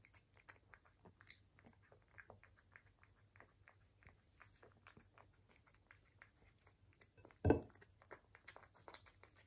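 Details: Indoor ASMR recording of a British Shorthair cat eating: sparse, quiet chewing clicks at a relaxed pace, one sharp clink of a bowl midway, a faint low hum underneath.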